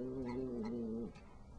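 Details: Pet cat licking icing makes a steady, low, wavering hum for about a second that wobbles slightly in pitch before stopping abruptly; a person's quiet voice follows.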